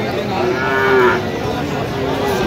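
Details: Sahiwal cattle at a market in Kurigram, Bangladesh, where bull calves are sold; a single drawn-out, steady moo swells and fades over about a second amid a low murmur of market background noise.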